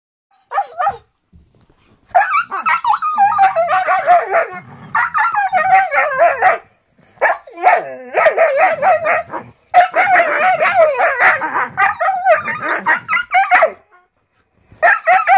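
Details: Siberian Huskies trade loud, wavering howls, yowls and growls in a noisy, harmless squabble: one lies on a treat while trying to get the other's attention, and the other wants the treat.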